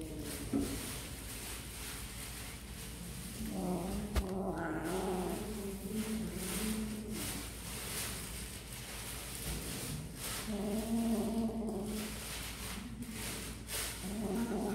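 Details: Kittens at snack time, eating, giving drawn-out wavering mews and caterwaul-like cries in several bouts across the stretch, with steady low background hum and clicks of handling.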